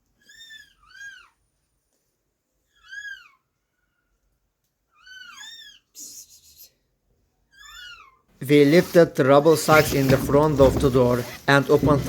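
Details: Rescued stray kitten, abandoned and left two days in -11°C snow, cries in short arched meows every few seconds, mostly in pairs, in a quiet room. A person starts talking over the last third.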